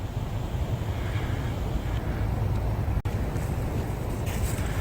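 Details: Outdoor rumble of passing vehicles and wind buffeting the microphone, with a single sharp click midway and no animal call.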